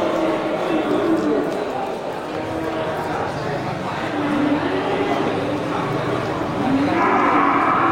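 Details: Local beef cattle at the Geulumpang Payong animal market on 8 May 2021, many large bulls ready for slaughter, raised on natural grass; low drawn-out moos rise faintly through a steady murmur of market crowd and voices.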